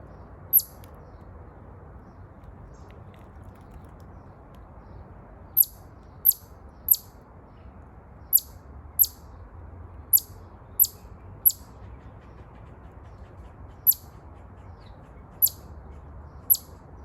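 A chipmunk gives sharp, very high chirps, one at a time at uneven intervals, over a low steady hum.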